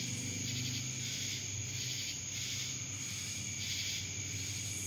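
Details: Cicadas in Dallas, Georgia: a dense, steady high-pitched buzz that swells and pulses roughly once a second, with a constant low hum underneath.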